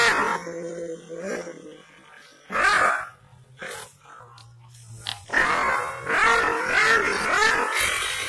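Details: Fierce, angry Kangal shepherd dog from Aksaray, Malaklı type: a rough bark burst, a quieter pause with a low steady hum, then a continuous harsh barrage of growling barks.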